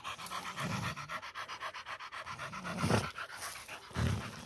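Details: Female Pit Bull panting while catching a peccary: a fast, even run of airy breaths, broken by three louder low rumbling bursts near the start, middle and end.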